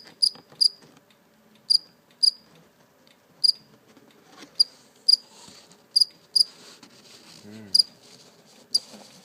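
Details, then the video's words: A captured live cricket gives sparse, irregular single chirps, sometimes paired, spaced roughly half a second to a second apart, with soft rustling and a brief voice in the background. "Real live cricket chirping sound"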